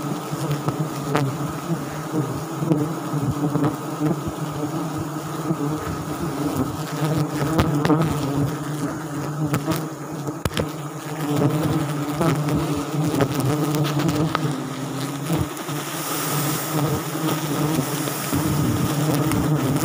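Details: Swarm of wild forest bees at a Sialang nest during a South Sumatra honey harvest, producing an unbroken, thick low hum that swells and pulses for the whole twenty seconds.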